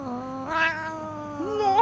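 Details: Domestic cat giving a long, drawn-out tonal meow lasting almost two seconds, holding a steady pitch with a slight upward step midway and a brief rising lilt at the end; the background is otherwise quiet.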